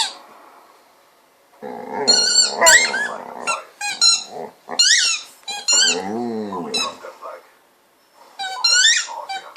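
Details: Golden retriever playing with a ball, making a run of high squeaky whines and drawn-out groaning calls, one long falling moan like a cow's moo, separated by short quiet gaps indoors; faint game-like speech and music in the background.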